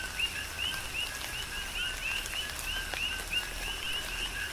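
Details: Big Island, Hawaii: coqui frogs in rain, their rhythmic chorus of short rising whistled chirps paired with a lower note, repeating densely, with drips and rain noise underneath.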